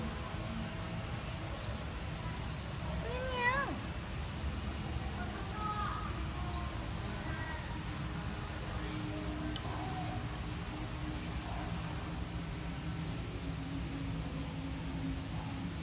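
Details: Orange tabby cat in a parking lot that runs away, 1 September 2023: a single drawn-out wavering meow after a few seconds, with a person talking softly and constant low rumble.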